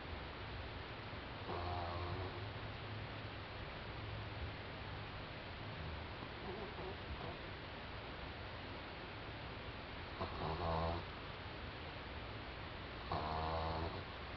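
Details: Snores from Doudou, a four-month-old French Bulldog asleep: three short, buzzy, harmonic snorts spaced irregularly across the stretch, separated by long quiet gaps with a faint low background hum.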